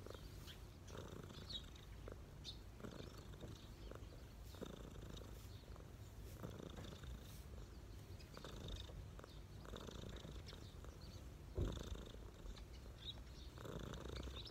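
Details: A street cat relaxing on a person's knees purrs steadily, a low continuous rumble with rhythmic breathing swells; faint high chirps of birds sound in the background.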